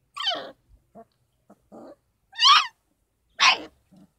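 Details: Kangal puppies, 33 days old, at a Kangal dog farm, given formula and goat milk because their mother's milk falls short. Three loud, high, falling yelps with short soft whimpers between them, otherwise quiet.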